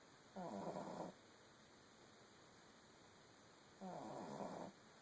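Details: Female pug puppy snoring in the early morning hours: two raspy, rattling snores roughly three and a half seconds apart, each under a second long, over a faint steady background hiss.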